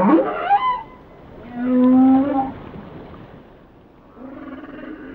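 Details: Whale song: a quick upswept cry opens, then a long, steady, harmonic-rich low moan, a short rising glide, and after a pause a fainter wavering moan; no other sounds intrude.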